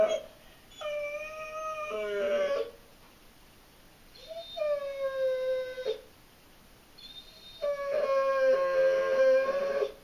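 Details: German Shorthaired Pointer named Abby howling from separation anxiety, which went on for about eight hours; three long, steady tonal howls of about two seconds each, separated by short pauses, some ending in wavering, broken notes.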